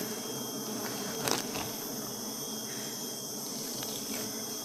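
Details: Honey bees at a hive being harvested for honey give an unbroken low buzzing drone; a brief rustle near the second mark and a faint high whine sit over the hum.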